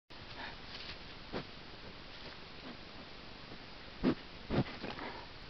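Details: Wild American black bear close to a trail camera in New Brunswick, Canada: faint breathy sniffs early on, then a few short, louder sniffing bursts near the end, all over a steady background hiss.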